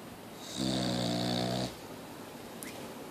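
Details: Mia, a Boxer dog, still snoring: one long rumbling snore lasting about a second, with stacked low tones and a hissy upper band, then quiet breathing in a small room.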